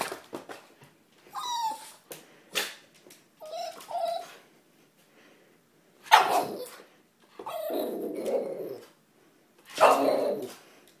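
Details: A male Boston Terrier dances and gives sharp, excited barks and whiny yelps, demanding a toy.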